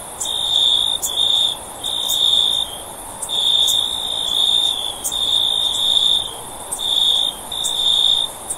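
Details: Cricket song made of bright, high, steady trills repeated in bursts of about a second, with faint high clicks and a gentle background hiss.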